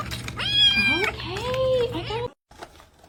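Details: A domestic cat gives a long, drawn-out meow: a wavering, whiny cry that rises then bends down, followed by a second lower, sliding meow, then a short pause and faint voices.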